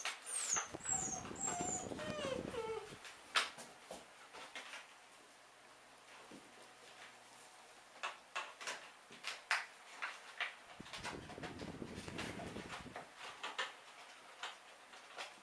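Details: Seven-week-old European Doberman puppies indoors; a thin, high whine slides downward through the first three seconds, followed by scattered clicks, knocks and shuffling.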